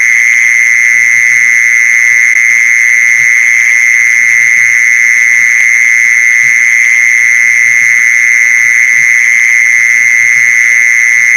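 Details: A mole cricket sound played as a lure: a constant shrill buzzing trill at one steady pitch with no pauses, loud and unchanging, over soft low knocks and clicks.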